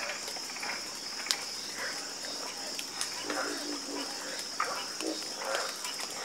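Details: Frogs croak in a chorus, with short low croaks in small bursts and scattered raspy calls among them, set against an unbroken high shrill hum.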